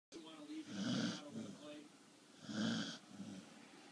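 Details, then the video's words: Corgi snoring while asleep. Two long, rasping snore breaths about 1.5 seconds apart. A sports commentator talks in the background. "the corgi - snoring"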